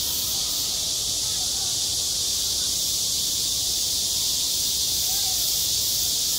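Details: High-summer cicadas on a school sports ground produce a loud, seamless buzzing drone, pitched very high and steady, with a couple of faint low murmurs beneath.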